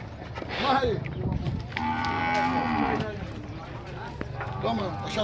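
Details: A Nelore steer or cow at the cattle fair corral in Tabira, Pernambuco, lows with one flat, droning moo of about a second, framed by brief grunts, knocks and handlers' voices.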